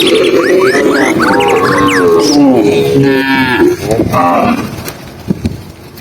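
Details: Tame cows being herded on a sunny afternoon through green countryside, giving long, drawn-out harmonic moos that overlap one another, with chirping birds calling above throughout.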